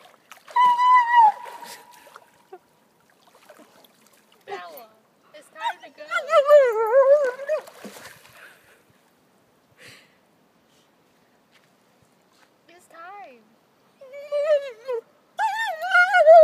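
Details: Bella, a German Shepherd protesting at being called out of the water, makes long wavering, yodel-like whines in several bursts, mixed with a woman calling her name and telling her it's time to go.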